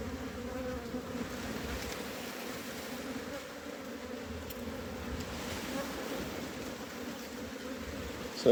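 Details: Continuous humming of honey bees around a hive being harvested and expanded. The even, droning buzz holds steady without a break for over eight seconds.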